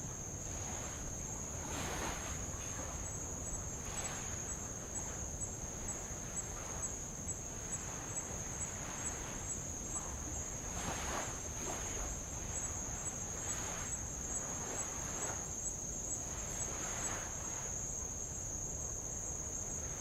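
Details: A steady, high, shrill drone of Tongan insects runs unbroken while light waves wash over old lava along the shore of Avalau island, Kingdom of Tonga.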